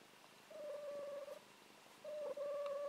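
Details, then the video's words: Buffy, a fluffy formerly feral domestic cat now kept indoors, snoring while asleep and dreaming: two steady, whistle-like nasal tones, each lasting about a second, separated by a quiet breath in a small room. "Cute Cat Snoring Dreaming"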